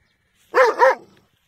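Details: A dog gives a quick double bark, two harmonic, slightly arched yaps run together in under half a second, with nothing else audible around them.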